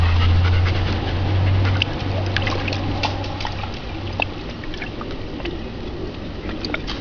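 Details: Bella, a German Shepherd, lying in a pool to cool off after playing fetch with a ball; soft steady panting with water trickling and splashing, low rumbling noise underneath throughout.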